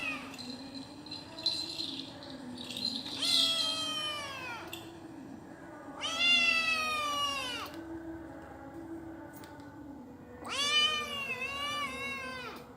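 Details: A Persian cat gives three loud, drawn-out meows, each falling slightly at the end and spaced a few seconds apart, over a constant low hum with faint clicks between calls.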